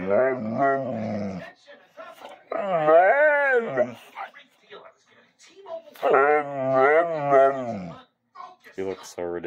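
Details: Bullmastiff dog whining and 'talking' when it wants to eat, indoors: long harmonic, wavering moans rising and falling in pitch, in drawn-out bursts of about two seconds with pauses between.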